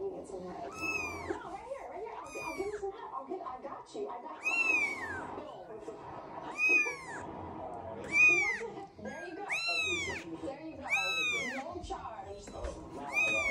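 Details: Three-week-old Scottish Fold kitten from a litter of seven, giving high arched meows, rising then falling, repeated every one to two seconds, with several kittens calling over low murmuring in a small room.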